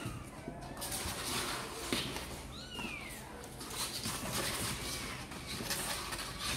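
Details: One of Sor and Kapov's kittens, keen to come out and play, lets out a single thin meow that slides downward, heard faintly against a constant hiss and a few soft knocks.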